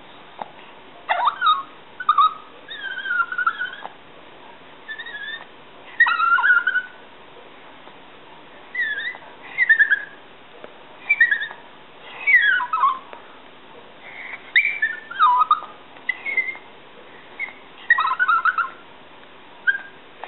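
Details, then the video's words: A pet Yorkshire terrier begging for a snack, making high, squeaky dolphin-like noises: bursts of wavering whistled whines and squeals, rising and falling, repeated every one to two seconds with short pauses between. "Yorkie Leeloo making dolphin noises"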